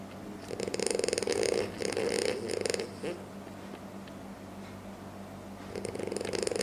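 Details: A sleeping French Bulldog snores loudly, with rough, rattling breaths in long bursts separated by a quieter pause.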